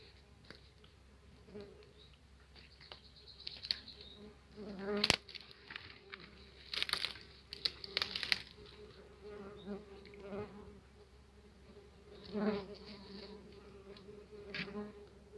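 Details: Tree bumblebees from a colony nesting in a nest box in an apiary, aggressive as the box is opened; a low droning buzz with harmonics runs throughout, broken by sharp knocks, rustling and crinkling handling noises.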